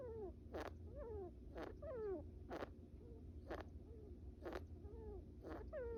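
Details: Napping small brown rat Bippo, kept as a pet, makes goofy snores: sharp clicks roughly once a second, alternating with soft, sliding squeaky tones, over a quiet background hum.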